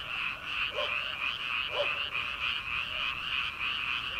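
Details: Frog chorus from rice paddies in early summer, before rice transplanting, at night: a dense, continuous pulsing croak band with overlapping callers, plus occasional lower separate croaks standing out above it.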